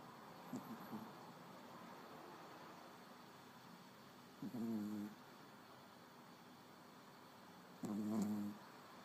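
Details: Small dog snoring: two drawn-out, nasal, whistle-like snores about three seconds apart, each lasting under a second, over steady low background hiss.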